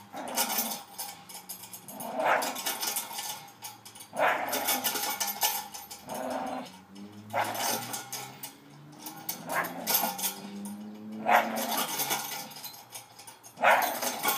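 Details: Staffy, a male dog, tugging at his new spring pole Christmas gift, with a steady rough growl under repeated loud bursts every two seconds or so and rattling play noises between them.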